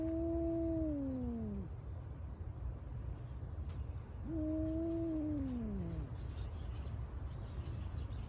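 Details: Cat at Senri Park West on 5 December 2022, a rival of another park cat; two long meows several seconds apart, each holding a steady tone then falling away, with constant low rumbling background noise.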